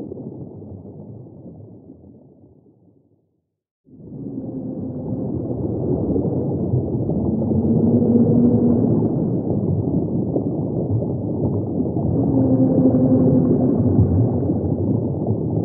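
Humpback whale song: low drawn-out moans rising through heavy rumbling underwater noise.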